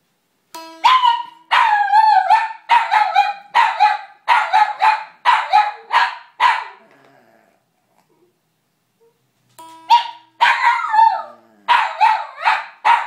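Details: Dog reacting to guitar music, barking in a rapid series of loud, sharp barks about every half second, a pause, then more barks; plucked guitar notes sound at the start and again before the second burst.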